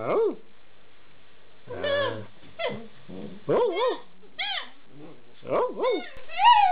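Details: Alaskan Malamute puppies aged eight weeks chattering in a rapid mix of arched whines, short yips and a low grumble, overlapping calls rising and falling, ending with a higher drawn-out whine.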